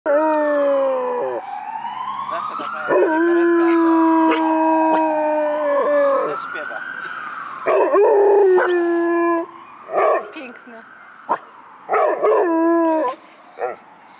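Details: Black Russian Terrier howling, upset on hearing an ambulance siren, while an Australian Shepherd comes to comfort it; long wavering howls mixed with the siren's rising and falling wail, then short yelps.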